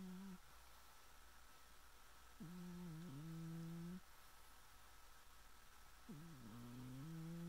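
A sleeping Scottish Fold cat snores with low, droning hums that return with each breath.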